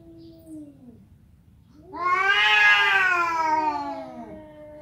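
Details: Domestic cat indoors giving one long, loud, drawn-out meow that rises then slowly falls, after a faint quieter sound at the start; room otherwise quiet.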